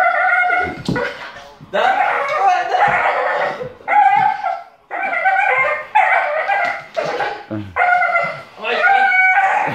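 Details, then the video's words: Bull terrier making weird noises: a series of short, whiny, yodel-like vocal bursts, about ten in quick succession with brief gaps, harmonic and moaning in tone. "Bull terrier make weird noise"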